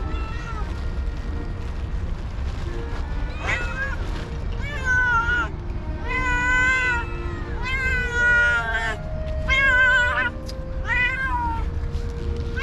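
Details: Hungry cats and kittens begging for food around a person, producing a fast run of loud, drawn-out wavering meows in overlapping bursts roughly every second, with background music and low noise beneath.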